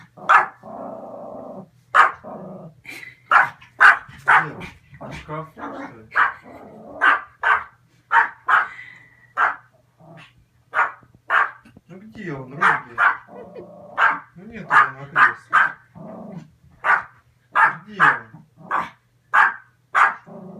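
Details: Excited spitz indoors barking in sharp, short yaps, repeated roughly every half second to second over twenty seconds, with a person's voice in places.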